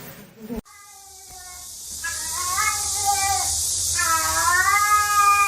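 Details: Domestic cat in a funny cat compilation: a brief noisy burst and near-silence, then two long, drawn-out meows, the second rising and then falling, over a steady background hiss.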